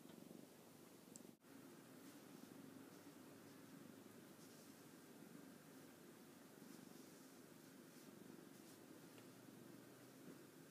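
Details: Contented orange tabby cat purring after playing with its owner, a continuous low throaty rumble with an even pulse, interrupted by a short dropout near the start.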